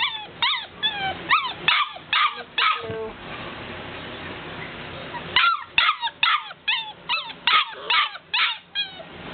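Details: Golden Retriever puppies wanting out: bursts of high, rising-and-falling whimpers and yips, several per second, break off for about two seconds of steady hiss, then resume as a run of sharp, evenly spaced yelps.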